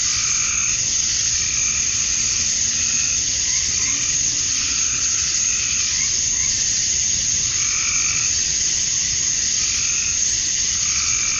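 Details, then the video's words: Georgia, USA, summer dusk: male cicadas chirp to lure females in a relentless high hiss, while lower pulsed trills, like frogs, come and go in overlapping rhythmic bursts throughout. "Cicadas at Dusk, Summer Night"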